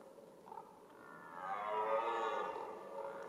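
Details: A single red deer roar during the rut, a rough bellow that swells in loudness and fades over about two seconds, over a low steady background rumble.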